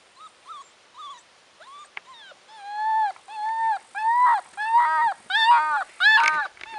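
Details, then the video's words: Bracco Italiano puppy whimpering: harmonic, arched whines that start short and soft, then grow longer and louder, coming roughly one per second, with a sharp click near the two-second mark and a quiet background. "bracco italiano puppy"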